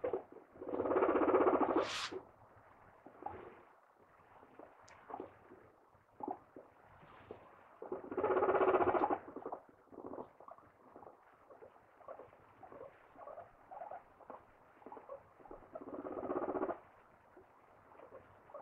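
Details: A guinea pig gives loud squealing bursts between runs of soft, rapid chuttering.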